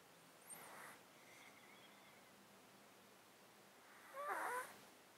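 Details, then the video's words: Sleeping domestic cat in a box, its breathing snotty from an underlying disease it has had for 13 years, close-miked: a soft hissing breath, then a louder wet, crackling breath near the end. "Cat Breathing White Noise"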